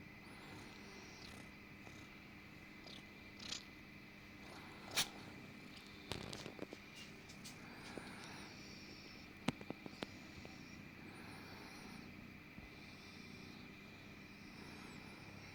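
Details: Little orange kitten Eric yawns and purrs loudly, then suddenly sneezes; a soft, rhythmic purr rolls on in steady breath-paced waves, broken by a few sharp clicks and a brief, abrupt burst partway through.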